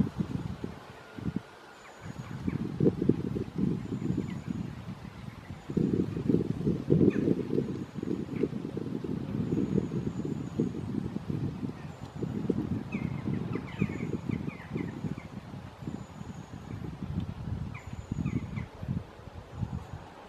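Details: Red deer during the rut at Studley Royal Deer Park, 30 September 2021: deep, pulsing bellows run almost continuously from about two seconds on, with brief pauses between roars and faint high bird calls above.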